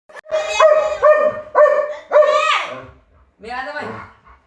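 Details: German Shepherd giving loud, drawn-out howling barks indoors, four sustained harmonic calls that rise and fall, then a short whining yelp; a person speaks afterwards.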